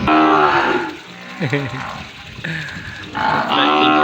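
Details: Weaned calves over three months old, just separated from their mothers into a separate pen on a Cambodian farm, bawling for their mothers; a long harmonic moo fading out, brief grunting, then a second bawl, with faint talk.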